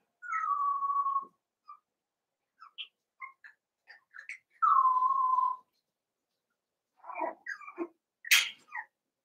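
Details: Playing Cavalier King Charles Spaniel puppies, Daisy's litter of six joined with Robin's remaining two; two long, steady, whistle-like whines that slide slightly downward, separated by soft clicks and squeaks, ending in a burst of sharp yelps.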